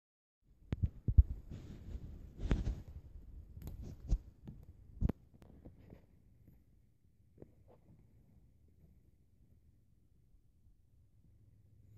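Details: Soft low thumps, rustles and a few sharp clicks in the first five seconds, then near silence with a faint low hum.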